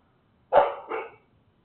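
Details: A dog, one of several put outside at 3:02 a.m. on October 23, gives a single two-part bark, a sharp harsh onset followed by a softer second pulse.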